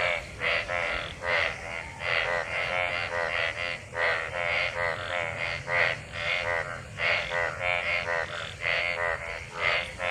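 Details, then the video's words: After monsoon rain, numerous frogs mate in collected rainwater; continuous rasping croak chorus, pulses about twice a second with overlapping voices and faint low rumble beneath. "Frog mating,Frog Sounds after monsoon rain,Sounds of toad Croak croak ! frog mating and love in rain"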